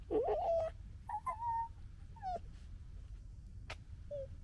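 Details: Red fox cubs of the 2021 litter squabbling and gekkering: a loud wavering whine opening the clip, then shorter rising and falling whimpers and a sharp click, spaced about a second apart over low rumble.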